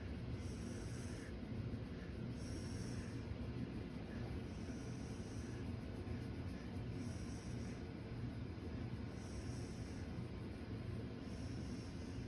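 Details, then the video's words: A female Siberian Husky makes a low, steady, purr-like rumble with soft snorting breaths while being petted. "My Siberian Husky Purrs Like A Kitten When I Pet Her"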